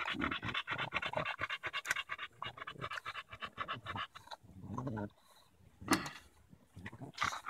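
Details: Daisy the Bulldog, fighting a branch on a July 2014 walk in Erindale Park, pants in fast repeated huffs for about four seconds, then quieter. A person's voice and scratching sounds join in.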